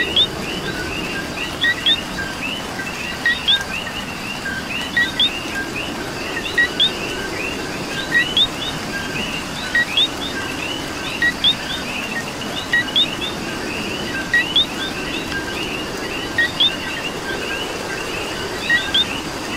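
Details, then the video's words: Rain-soaked Puerto Rican night with coqui frogs: a long run of two-note calls, a low chirp then a rising whistle, repeated roughly every one to two seconds by several frogs above a dense chorus and steady rain. "Coqui and Rain"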